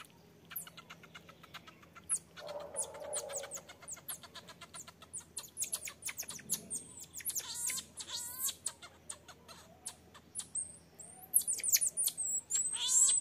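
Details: Infant marmoset begging its mother to nurse while she firmly refuses; weaning said to come within two months. Rapid high chirps and trills stream on, with thin whistled notes and rising squeals toward the end.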